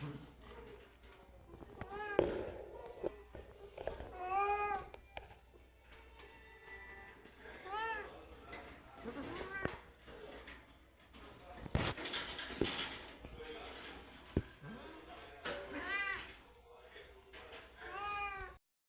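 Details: Domestic cats calling hungrily before being fed indoors: repeated arched meows of varying length every few seconds, mixed with sharp knocks, rustling and a short burst of clattering near the middle.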